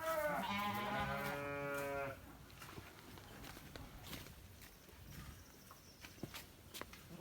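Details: Santa Inês sheep, described as an elite animal of the breed, giving one loud, drawn-out, quavering bleat lasting about two seconds, followed by quiet handling sounds and a man speaking Portuguese.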